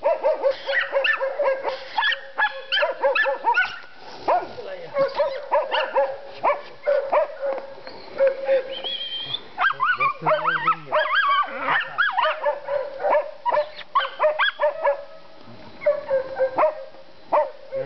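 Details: Zara, a seven-month-old dog, works at wild boar in a boar pen on 27 January 2011 while men urge her on: rapid runs of sharp, harmonic barks and yelps, some drawn into whines, mixed with shouted human encouragement throughout.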